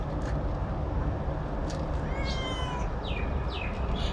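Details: Cat that prefers eating alone lets out a single clear, slightly falling meow midway, followed by a couple of faint, brief mewing fragments, all against a constant heavy low-pitched hum.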